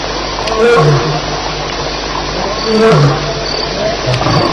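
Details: Lions fighting at night at Elephant Plains, July 9, 2010, shortly after 2:11am. Two loud bursts of deep, rough growling and snarling come about two seconds apart. Steady, regular insect chirps sound high above throughout.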